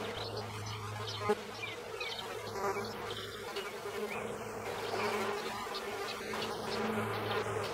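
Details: Horned mason bees (Osmia cornuta) buzz in the countryside of central France, Nouvelle-Aquitaine, on a first warm day, 10 March 2017, 18°C: a low, overlapping drone rising and falling as bees pass close, faint bird chirps behind.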